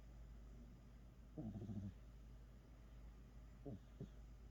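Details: A domestic cat snoring while asleep, two short rough throaty snore bursts, one longer near the start and a briefer pair later, over a steady low hum.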